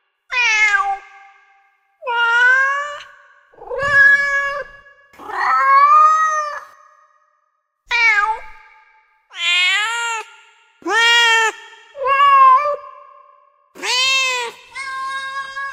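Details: Cats meowing in a rapid series of about ten meows over fifteen seconds, some rising and falling, some flat and plaintive, a few higher and sharper, pausing roughly one to two seconds between calls.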